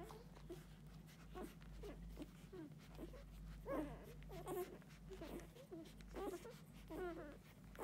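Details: Golden Retriever puppies, six days old, feeding from their mother indoors: a busy run of short, high squeaks and little grunts from several pups, some clipped chirps rising, others falling, with a constant low background hum.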